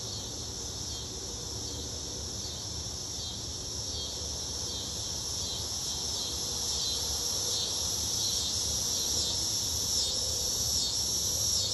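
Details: A chorus of cicadas in summer fills the air with a steady, high, shimmering buzz.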